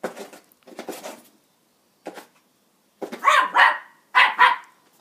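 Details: Benji, a Border Terrier, barking at a broom indoors: sharp, harsh barks in irregular bursts, a softer pair first, then a single yap, then louder doubled barks in quick succession.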